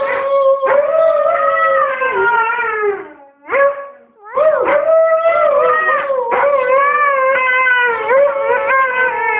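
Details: Husky named Wasabi joining a boy in a howling duet, drawn-out tonal howls bending downward, a brief silence at mid-clip, then a rising, sustained howl to the finish.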